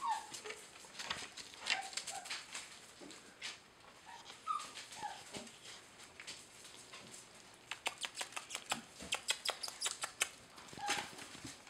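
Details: Eight red and black German Shepherd puppies tumbling together in Maine, New England, give short, thin, high whimpers and squeaks at scattered moments, over busy clicking and scuffling of paws, while a person talks nearby.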